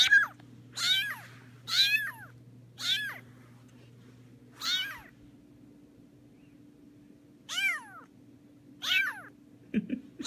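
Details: Rescued kitten walking about indoors in an apartment, repeating short high rising-falling meows in loose bursts with quiet gaps, a faint steady hum beneath.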